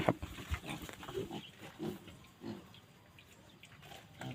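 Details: Wild boar sow from Phu Phan, the only breeding female kept, making soft, low grunts and snuffles, a sharper one at the start, then quieter repeated grunts fading out.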